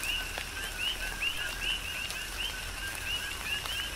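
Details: On the Big Island of Hawaii, coqui frogs call in tropical rain; clear two-part co-qui notes, a brief low tone then a rising whistled chirp, repeated about twice per second with raindrops tapping nearby.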